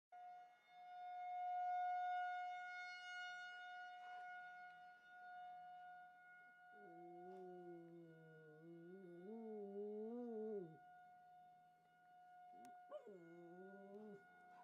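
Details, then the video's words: A dog howls in response to a monthly tornado siren test. Over the siren's steady, sustained tone, the dog gives a long wavering howl that rises and falls, then a shorter second howl. "Dog Howls at Tornado Siren"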